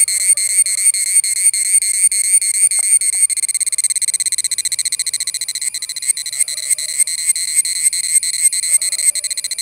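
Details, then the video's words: Cicada, an Indian insect known locally as cheevidu: loud, shrill, metallic buzzing in regular pulses, slower throbbing beats at first, then a faster steady rattle, with faint chirps in the background. "Who is making noise-Cicada (cheevidu)"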